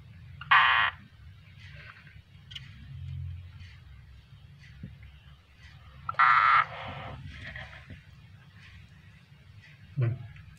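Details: Frog being eaten alive by a captive keeled rat snake (Ptyas carinata) gives two loud, brief, strained cries about six seconds apart, with a short third cry near the end over a low hum and faint rustling.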